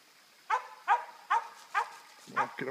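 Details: Squirrel dog treeing a squirrel, giving five sharp barks about half a second apart, followed by a man starting to speak.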